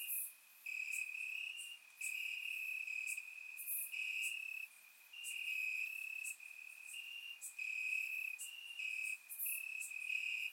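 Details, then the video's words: Crickets singing at night among grass in Bulgaria on a warm summer evening: a ringing high trill broken into pulses roughly each second, with brief louder clicks and chirps from neighbouring insects. "Cricket Sounds - Crickets Chirping at Night"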